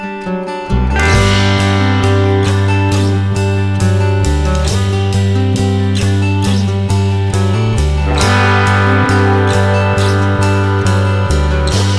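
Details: Guitar music with a steady plucked rhythm and bass throughout, no animal voices.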